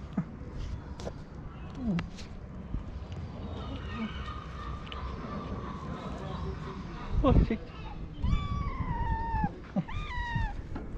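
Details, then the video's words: Hungry feral street cats begging for food on a sidewalk, with a woman speaking Turkish and handling noises throughout. Two meows come near the end: a longer descending one, then a short one. "Many Hungry Cats And Kittens Meowing Loudly"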